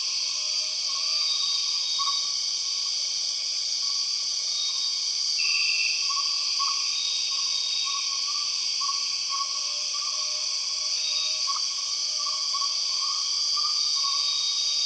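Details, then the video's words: Loud empress cicada chorus from the Borneo rainforest: relentless shrill, multi-layered droning high up, accompanied by fast, irregular mid-pitched pulses throughout and one short bright trill midway. "The weird sound of empress cicadas"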